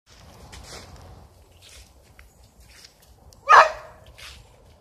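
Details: Spaniels chasing squirrels that have fled up a tree and will not come down; after quiet rustling and footsteps, one sharp, loud bark bursts out midway, followed by faint rustles.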